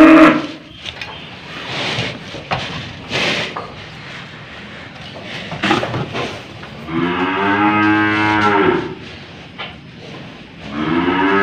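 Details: An old cow being fitted with a nose rope moos twice, a long harmonic bellow near the seventh second and a second rising call at the end, between knocks, handling noise and background music.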